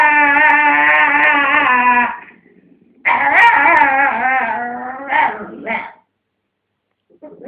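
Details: Pet dog guarding a dog chew from another dog indoors; loud, strained, wavering howling whine held about two seconds, then a second quavering bout ending in short yelps.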